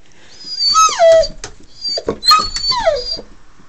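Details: Dog named Socko, indoors, whining because he wants to go out for a car ride: two bursts of high, sliding whimpers that fall in pitch, with clicking steps and sounds of movement between them.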